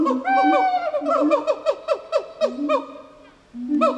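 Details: Gibbon calling in a quick series of loud, hooting notes, each sweeping sharply up or down in pitch, with overlapping voices, a brief pause, then a renewed rising note.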